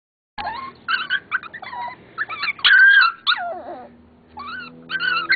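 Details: Norfolk Terrier puppies, unhappy at being on the other side of a fence, whimpering and yipping: clustered high squeaky whines, one longer wavering whine sliding downward, then more short yips.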